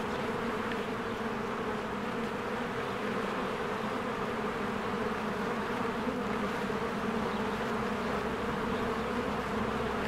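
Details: Bees pour in and out of a hive in spring, producing a steady, rich droning buzz that holds at a constant level throughout, with only very faint higher sounds in the background.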